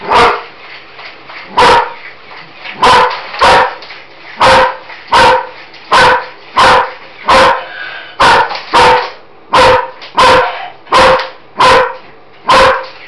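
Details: German Shepherd indoors barking loudly at a Roboraptor robot toy, investigating the noisy mechanical thing: sharp, strong single and paired barks repeated roughly every second or two, about sixteen in total.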